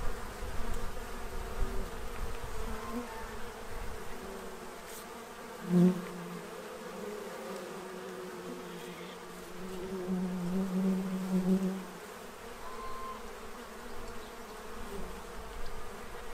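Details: Bees feeding at a tray to prepare for winter in Central Illinois, a steady low drone with a louder, clearer buzz as one passes close near six seconds and again for about two seconds later.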